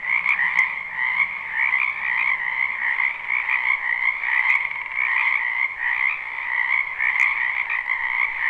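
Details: Many frogs croaking in a wetland behind a house in spring, recorded live without looping: a dense, unbroken chorus of fast, rattling trills stacked in a higher and a lower band, with a few sharp clicks now and then.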